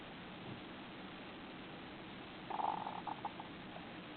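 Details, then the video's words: Pet hamster snoring while asleep face down with its face pushed into something, a soft buzzing 'zuzuzu'. A short cluster of faint buzzy pulses lasts about a second over a steady low hiss. "やんちゃなハムスター いびきをかく"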